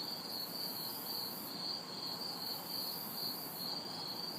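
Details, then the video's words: Backyard chorus of crickets and cicadas on a hot, humid city summer night, a rapid high pulsing trill running throughout with periodic high buzzy swells and a soft wash of distant traffic. "Summer Night Sounds ~ Crickets, Cicadas"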